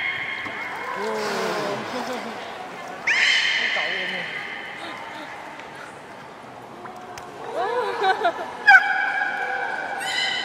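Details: A captive beluga whale at Nagoya Port Aquarium on 30 March 2019, during play time after a feeding session, gives high, steady whistles and quick sweeping chirps over a low background murmur.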